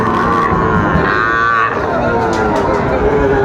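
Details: Sahiwal bull calves on sale to Dhaka farmers at a cattle market, 30 August 2024: one short, rising-then-falling moo over busy crowd chatter and voices.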